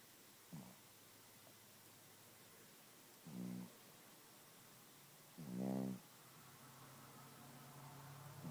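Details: Sleeping Chihuahua named Gidget gives three short rattling snores that grow louder, the last the strongest, spaced roughly two to three seconds apart, followed by a steady low hum in a quiet indoor setting.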